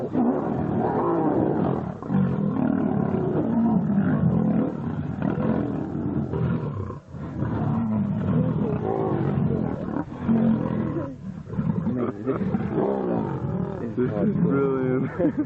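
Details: Lions fighting about five metres away: harsh, overlapping roars and snarling growls with brief gaps near the middle and end. Short moaning rises break through the deep, gravelly rumble, and a few faint voices are heard.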